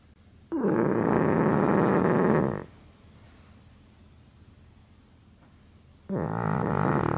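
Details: A pug asleep, snoring with a long harsh rattling inhalation of about two seconds, then a quiet gap before the next snore begins.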